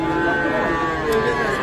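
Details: Cattle at the traditional Ambari cattle market in Parbatipur, Dinajpur, Bangladesh, on Friday 24 May 2024, where young bulls and heifer calves are sold; a steady, drawn-out lowing moo holds through the clip over a murmur of crowd voices.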